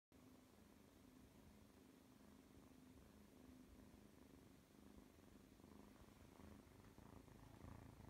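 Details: Oscar the cat purring softly indoors, a quiet, low rumble with a faint steady hum, rising and falling gently with each breath over a hushed background.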